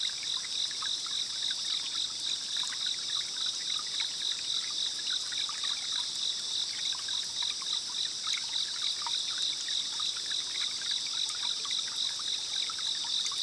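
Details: Distant cicadas and other insects buzz steadily, with a rapid pulsing trill, over a running stream in the Kayugawa forest, Minami, Gujō, Japan, on a rainy day.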